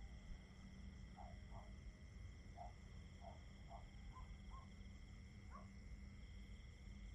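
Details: Constant high cricket chirring runs the whole way through, joined by a low steady hum and a short run of deeper pulsed notes around the middle.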